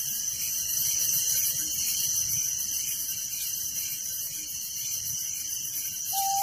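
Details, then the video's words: Night chorus of crickets in a village, an unbroken shrill trilling made of rapid pulses over a steady ringing tone, with one brief lower whistle near the end. "Relaxing Night Crickets Sound in Village"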